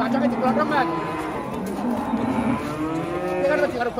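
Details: Cattle herd in Indonesia lowing continuously, drawn-out moos layered over one another with wavering pitch and a steady low rumble beneath.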